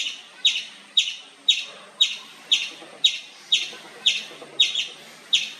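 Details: Indian palm squirrel giving loud, high-pitched chips at an even pace of roughly two per second. Each note is abrupt and bright and fades quickly.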